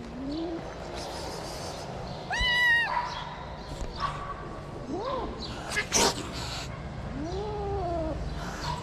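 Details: Stray calico cats attacking a kitten on a Moroccan street: a string of short, arching yowls and a brief higher, harsher cry, mixed with clatters, scuffs and a low rumble of street noise.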